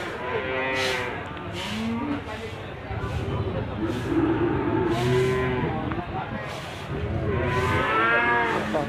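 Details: At Gondanglegi market in Malang Regency, East Java, Limousin calves call on 12 February 2020 in the morning: shorter, wavering moos among lower bellows, with repeated sharp clicks and a busy market hum.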